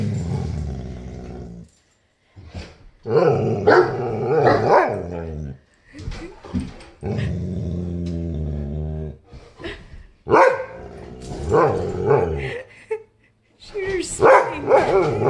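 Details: Great Dane and St. Bernard growl while playing together after keeping their distance, tails wagging; rough, pulsing low growls come in bursts, broken by short silences, while a person's voice urges calm.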